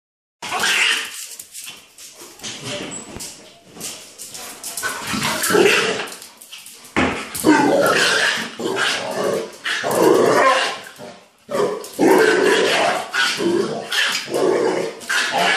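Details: Mastiff and Chihuahua playing together, a routine they share daily; a near-continuous stream of harsh growls, snarls and sharp yips rises and falls in bursts, with brief pauses between rough exchanges.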